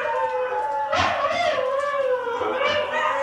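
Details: Pet dog indoors howling along to husky howls: a sustained tonal howl that holds steady, then wavers and bends up and down, with several overlapping howling voices and a brief louder burst midway.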